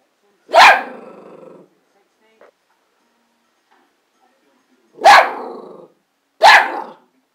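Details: Ruby, a Border Terrier, gives three loud, harsh barks. The first is drawn out for about a second, and after a long quiet gap two shorter barks come close together, with near silence around them.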